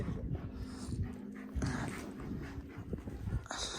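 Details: Pet dog, one of two dogs named Duman and Pani being introduced and getting used to each other; rapid rhythmic panting with soft whimpery breaths runs throughout, brief muffled handling noise near the end.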